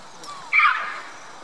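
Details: Red-capped mangabey at Dublin Zoo, high in a tree in a large mixed-species habitat, calling for attention and exchanging calls with white-collared mangabeys across the lake; one brief, harsh, harmonic call lasting about half a second.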